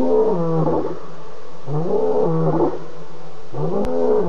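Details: Lion near a pan at 4:45 a.m., 30 August, giving deep, throaty grunts in its roaring bout: three heavy upswept calls about 1.7 seconds apart, each gravelly and harmonic-rich, against faint background hiss.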